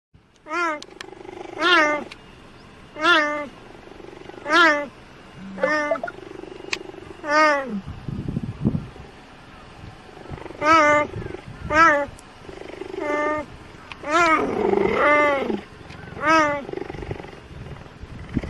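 A cheetah gives short, high, bird-like chirps, repeated every second or so.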